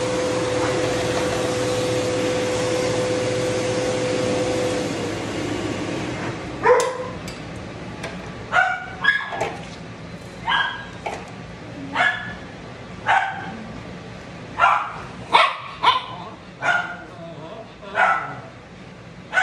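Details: Shih Tzu being dried and de-matted, a dog that bites when in pain. A dryer hums at first, then cuts off, and sharp high barks and yelps follow at irregular intervals of about a second.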